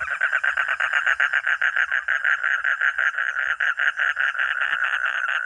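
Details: A frog gives a fast, steady run of rasping pulsed croaks, about five per second, mid-pitched and unbroken across the whole stretch, with no other sounds competing.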